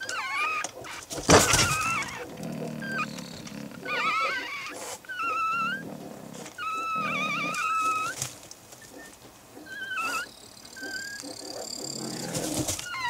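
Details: Fennec fox kits less than a day old, born early morning on 24 May 2011, give thin, wavering squeaks and chirps while their mother stays calm; rustling, and soft clicks from the father stomping in the background.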